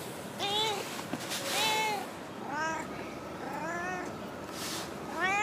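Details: Female stray cat from a park car park, known for constant chatter, meowing five times in quick succession. The calls are rising-and-falling and slightly nasal, with faint human voices mixed in.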